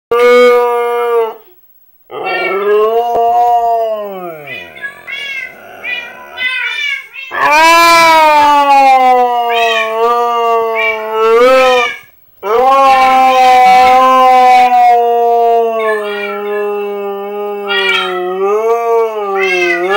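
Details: Pet husky howling in response to Minecraft cat sounds: long drawn-out tonal howls that bend and waver in pitch, some sliding downward, with short breaks between, continuing for about twenty seconds.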